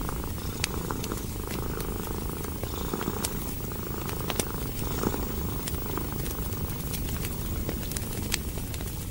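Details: Cat resting by a fireplace, eyes shut and breathing peacefully, produces a rich, low, rhythmic purr as the main sound, with light crackling and popping from the logs.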